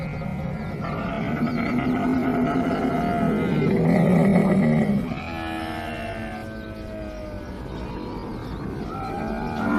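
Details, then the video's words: Camel calf calling: a drawn-out, harmonic, moaning bellow that swells for about five seconds, then breaks into a lower, bubbling gurgle before rising into another groaning cry. "Camel Cub sound effect"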